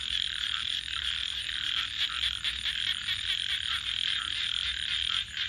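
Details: A steady nocturnal frog chorus next to a campfire: overlapping high trills run without pause, gently rising and falling in volume, with faint low background rumble.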